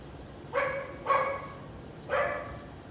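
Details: Three hoarse barks from a house dog in Vientiane, Laos, on a sunny, lightly clouded afternoon, 15 April 2021, the first two close together and the third after a brief pause.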